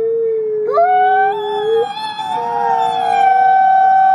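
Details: Captive-born gray wolf Nikai at the Wolf Conservation Center in South Salem, New York, howling: a low held tone joined by a second voice swooping sharply upward, then several overlapping long notes building into a fuller chorus.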